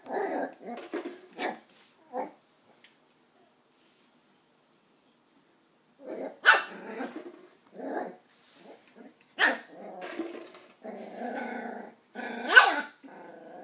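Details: West Highland white terrier puppy, nine weeks old, called Doc, barking at an empty coke bottle; scattered sharp yaps and soft growls, a silent gap of about four seconds, then louder barks and a rough rumbling growl.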